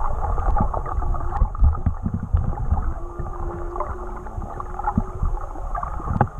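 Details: Whale singing heard underwater during a swim with whales in Tonga, track unaltered: a low, sustained hum that holds steady for about two seconds beneath busier upper moans, all wrapped in heavy low-frequency water rumble and snapping clicks.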